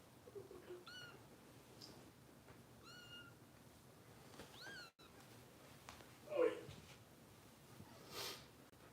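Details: Harper, a foster kitten raised by Los Angeles Kitten Rescue volunteers, is heard at bottle feeding with three short, thin, high meows about two seconds apart, then faint rustles and a brief knock.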